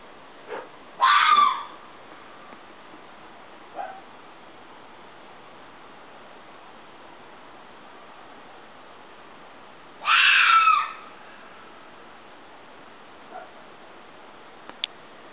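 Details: Fox screaming twice, nine seconds apart, each a raspy, strained shriek lasting under a second, with faint short yelps and clicks in between against background hiss.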